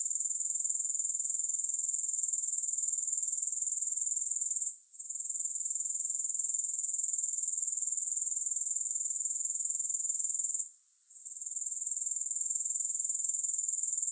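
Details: Grasshoppers chirping with no music: a steady, very high-pitched pulsing trill runs throughout, fast and even, briefly dropping out twice before resuming at full strength.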